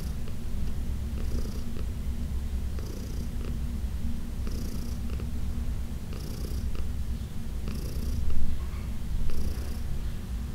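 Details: Senior adopted female cat, fourteen years old, purring during a massage indoors on June 17, 2021: a steady deep rumbling purr throughout, with soft breathy hisses recurring about every one and a half seconds.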